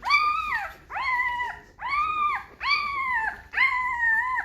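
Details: A five-day-old Great Bernese puppy, Great Pyrenees and Bernese Mountain Dog cross, letting out five drawn-out whines in a row, each starting with a sharp upward swoop, holding level, then sliding down, roughly one per second.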